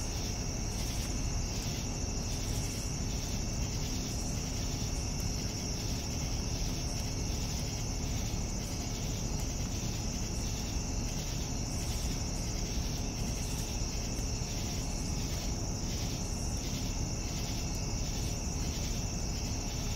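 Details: Crickets calling at evening, a sustained high trill joined by regular throbbing chirps about twice per second, with a constant low rumble underneath.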